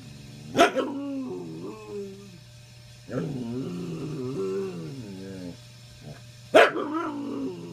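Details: Old male dog giving a grumpy "get off my lawn" bark at other dogs on the bed; two sharp loud barks bracket long wavering, whiny, groaning grumbles with a steady low hum beneath.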